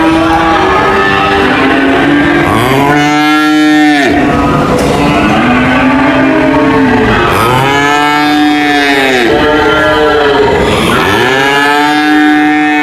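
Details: Repeated cow moos, five or six arched calls that swell and fade, some overlapping, against continuous background noise.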